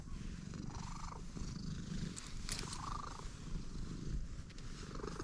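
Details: Freshly met stray cat purring, a continuous low throbbing rumble with fine rapid pulses, plus faint brushing sounds and a soft higher tone in the background.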